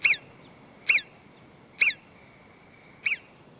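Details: A marmot gives sharp, high alarm whistles, each a brief piercing note repeated about once a second, warning the others to run for shelter; these whistles help marmots escape the eagle.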